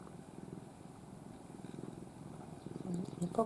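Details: Affectionate pet cat, once a stray, dozing in the owner's arms in a face-covered sleeping pose. Continuous low, rhythmic purring, with a brief human voice near the end.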